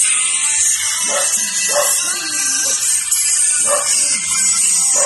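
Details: A Japanese Spitz puppy, sad because his littermates have been taken away, gives low, wavering whines in two short bouts over a steady hiss.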